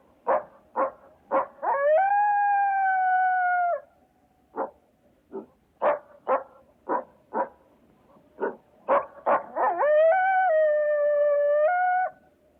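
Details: A coyote (Canis latrans) gives a burst of short yips that rise into a long, steady howl, twice over.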